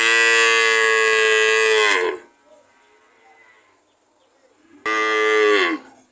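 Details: A long, loud, steady moo of about two seconds from a cow, sagging in pitch as it fades, then a shorter second moo after a brief quiet pause.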